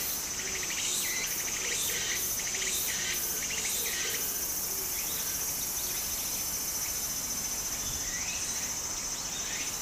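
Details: Cicadas singing in summer beside a stream in Japan: a steady, piercing high hiss runs throughout, with rapid pulsed buzzing trills layered beneath it, sounding as dense, overlapping chorusing.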